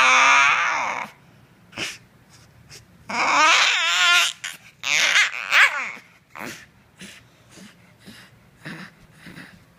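A Bull Terrier puppy lets out wavering, screechy, whining bursts, like a small devil's snarl-cry.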